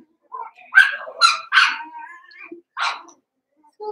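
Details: Seven-week-old Cavalier King Charles Spaniel puppies from Daisy's litter in an indoor home puppy pen: a run of short, sharp yelps mixed with thin, wavering whines, four bursts over a few seconds.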